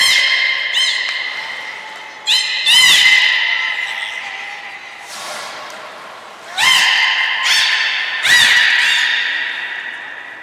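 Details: Aquarium belugas Hodoi, Taanya and Mirai, Port of Nagoya, March 2021, during training and a pool transfer. Repeated squeaky, reedy harmonic calls with pulsed onsets come in four or five bursts, echoing in a large indoor hall.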